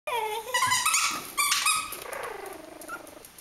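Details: Three-week-old Kooikerhondje puppies of the H litter at the Vom-Veenufer kennel give high, tonal whines and yelps. The calls rise and fall and overlap in quick succession over a few seconds, then taper into softer drawn-out whimpers.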